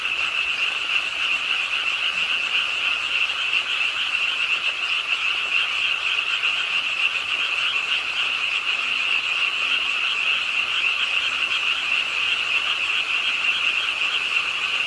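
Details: Frogs croaking in chorus beside a pond at Suwon's Ingye Art Park on a rainy late night, a dense steady wall of rasping calls with a bright high band over a lower one, unbroken throughout.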